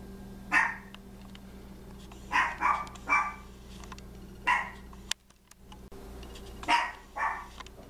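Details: Chihuahua named Lily playing hide and seek with her owner, who hides inside a gingerbread house; short sharp barks and yips come singly and in pairs, about seven across the stretch, over a steady low indoor hum.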